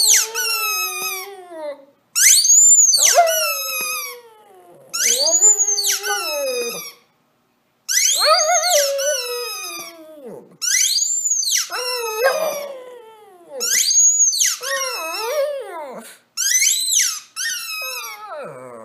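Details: Lacey, a female Shih Tzu, howls in response to her squeaky toys: high shrill toy squeals alternate with wavering, harmonic-rich howls that rise and fall, in bursts every two to three seconds with short silent gaps.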